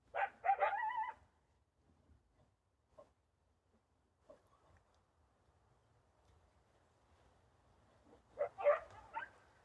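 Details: A wild coyote couple, one larger than the other, heard in a backyard behind bushes, hard to see. Two short bursts of high, strained yipping open and close the stretch, with near silence and faint thumps between.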